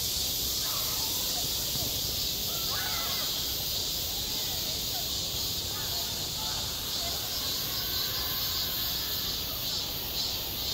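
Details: Summer cicadas on a school playground keep up a constant high, hissing drone, while a few harsh cawing calls sound in the middle distance beneath it.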